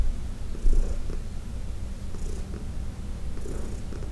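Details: Heidi, a senior domestic cat adopted from the Humane Society of New York City, purring during a massage indoors; steady low rumbling purr with soft pulsing breaths and faint rustling.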